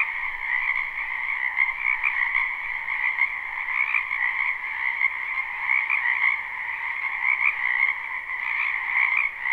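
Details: Many frogs calling together at a spring wetland, recorded live: a thick wall of rapid, buzzing croaks, the higher tone flickering and pulsing slightly while the mass of voices never pauses.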